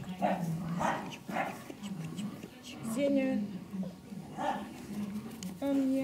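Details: Cane Corso pups aged five weeks, April 2011, make brief high yips and a couple of drawn-out, slightly falling whines, mixed with calm German speech in the background.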